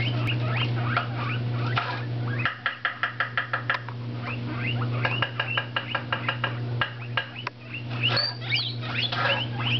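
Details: Indoor pet guinea pigs, one orange Abyssinian and one tricoloured shorthair, jumping about and eating lettuce; bursts of rapid, evenly spaced short squeaks mixed with longer rising wheeks, steady low hum underneath.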